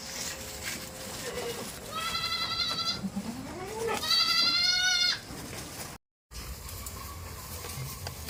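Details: Tame farm goat bleating twice: a wavering, harmonic-rich bleat of about a second, then a gliding rising sound and a louder, longer quavering bleat, over steady rustling farm background.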